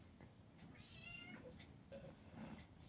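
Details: Domestic cat in the morning, just woken up: a faint, drawn-out harmonic meow in the middle of the clip, followed by a few short, soft squeaks against low background hum.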